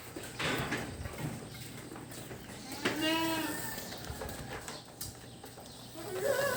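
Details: A single shaky goat bleat stands out midway, with a brief higher call at the close, in a barn holding pregnant goats; talking and background music throughout.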